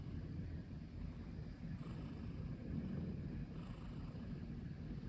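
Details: Okoge, a black long-legged Munchkin cat lying on a keyboard, purrs as a steady low rumble close to the microphone, with soft breathy hisses recurring about every two seconds.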